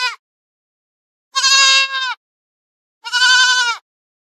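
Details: Goats that graze in forest and field, giving two loud, quavering, nasal bleats of under a second each, with a clipped bleat at the start and silence between calls.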